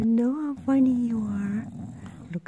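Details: Pet bulldog enjoying a belly rub gives a sustained low, tonal growl-moan, rising slightly then sliding gently downward over more than a second, preceded by a brief shorter moan and ending in quiet snuffling.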